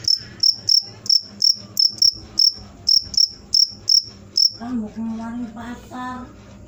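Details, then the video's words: Cricket produces a steady series of high, clipped chirps about three per second for four seconds, then stops as a low hummed voice and faint music take over. "suara jangkrik mantap"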